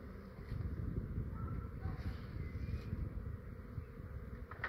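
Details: Honey bee swarm, fair sized and quiet, gathered in a residential yard in Australia while a beekeeper prepares to box it. Dense, steady low buzzing hum throughout, with a few faint bird whistles and some wind rumble.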